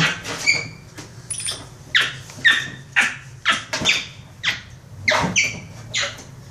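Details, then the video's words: Pet capuchin monkey named Instinct, laughing while play fighting with a toy monkey indoors: short sharp squeaky bursts with tonal whistled edges, repeated roughly every half second in uneven runs. "MONKEY RUNS FROM MONKEY TOY LAUGHING"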